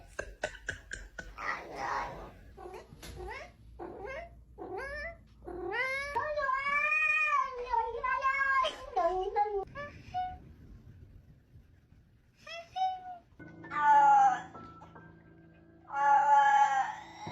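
A domestic cat gives quick chirps and trills, then long, wavering, drawn-out meows.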